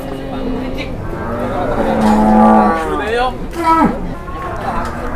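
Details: Startled cattle raging at an Indonesian market on their first visit utter a drawn-out, swelling moo followed by shorter bending calls, with voices and market bustle behind.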